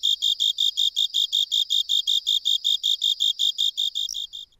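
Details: A Japanese burrowing cricket, commonly heard in the lowland plains of western Japan, sings a steady series of clear, high chirps, several each second.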